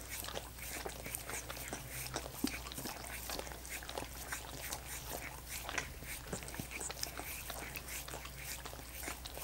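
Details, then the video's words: Several dogs lapping at frozen coconut water popsicles, producing rapid moist slurps and sharp tongue clicks in quick irregular bursts, some louder smacks standing out, against a constant faint low drone. "Dogs Licking Coconut Water Popsicles"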